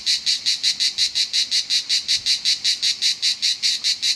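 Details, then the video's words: Southern French cicadas produce a rasping, high buzzing rhythm of quick, evenly spaced pulses, roughly four per second, loud and continuous. "Cicada's loud song"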